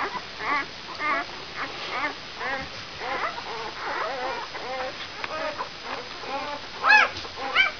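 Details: Brown Labrador Retriever puppies, five days old, from a German litter: a chorus of thin, wavering whimpers and squeaks, repeated rapidly and overlapping, with a couple of louder, sharper cries near the end.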